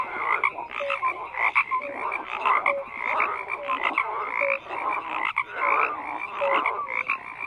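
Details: Frogs in large numbers croak in an overlapping wall of sound, harsh pulsed croaks mixed with brief descending whistled notes every second or so.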